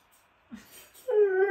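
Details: Male Siberian Husky, called a dramatic boy, announcing himself with a short, loud whining call: a brief low grunt, then a steady, slightly falling harmonic tone held for under half a second, with little else audible.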